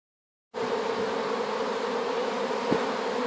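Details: Honey bee swarm newly placed in a hive after being collected from an apple tree, giving a dense, steady hum with a strong low drone; silence for the first half second, then continuous buzzing with one brief tap near the end.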